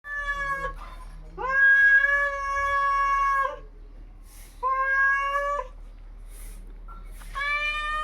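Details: Domestic cats fighting at 3 AM, drawn-out harmonic yowls rising and falling, three long wailing bouts separated by quieter pauses, one sharp short cry near the end.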